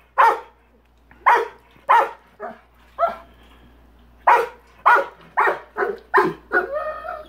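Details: Rottweiler PHred barking at a big rock he dislikes in his swimming pool: deep, sharp single barks in a loose series, about ten over seven seconds with short pauses, the last few followed by a whiny, tonal edge.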